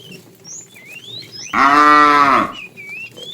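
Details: Tame fat cow, part of a herd being herded in the afternoon, calling the female with a single loud moo about a second long, steady and resonant, while small birds twitter and chirp before and after.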